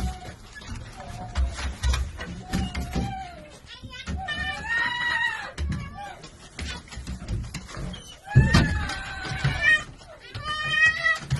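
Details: Domestic red fox, a female, excitedly reunited with her wolf companion: wavering, whistled whines rising and falling in short arcs, repeated in clusters, over low rumbling thumps and movement noise, with a louder burst near the end.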